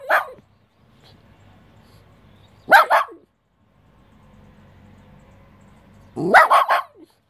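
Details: A West Highland White Terrier facing a mantis gives a single sharp bark, then after a pause two quick yappy barks, and later a burst of three or four rapid high barks, with quiet gaps between.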